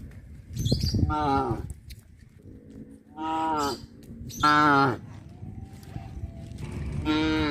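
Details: Several loud, rich moos with strong harmonics come from cattle driven back to the pen past a fish pond, each call about half a second to a second long, separated by short quieter gaps with low rumbling noise.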